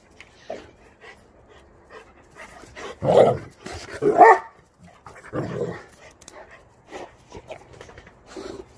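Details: Rhodesian Ridgebacks playing hard and loud together: irregular gruff barks and growling huffs, loudest around the middle, with quieter panting and scuffling between them.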